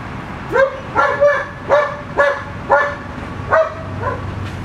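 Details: A puppy barks seven times in about four seconds. The yips are short and high, each rising quickly and then holding a level pitch, spaced roughly half a second apart, with a faint low rumble behind.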